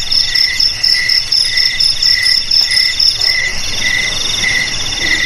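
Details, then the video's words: Cricket sound used to chase rats from houses, garages and rice fields: piercing high chirps in short rhythmic bursts over a constant ringing buzz, steady throughout. "Suara JANGKRIK Pengusir TIKUS"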